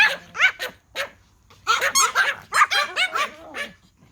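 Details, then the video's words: Pomeranian toy dogs barking at a whistle, sharp high yaps coming quickly and irregularly, clustered in bursts of several barks with brief gaps between. "Pomeranian Toy Pom dogs barking at a whistle"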